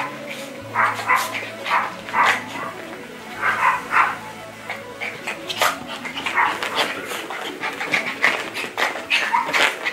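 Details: Yorkshire Terriers at play give short, high yappy barks in quick bursts across ten seconds, some doubled, over a steady low hum and faint voices in the background.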